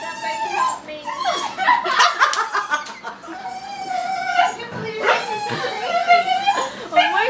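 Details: Dog crying for a balloon: excited sliding whimpers and squeaky whines repeated over several seconds, amid voices, clapping and background music.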